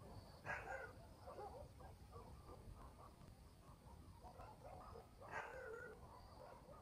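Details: Village dogs barking at night in the countryside, heard from a distance: two louder bursts of rough barks about five seconds apart, fainter barking between them, a low rumbling background and a thin high hum.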